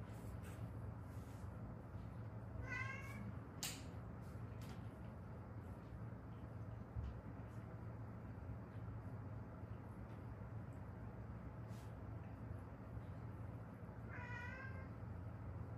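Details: Rescued street cats, mother and daughter, who lived seven years in Haeundae; two separate rising-falling meows about eleven seconds apart, with a sharp knock and steady background hum between them.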